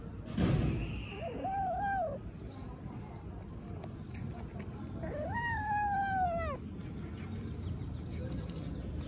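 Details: Tiny stray kitten in Istanbul talking while eating: two harmonic meows, a short wavering one early on, then a longer, arching, drawn-out meow, over steady low rumbling background noise.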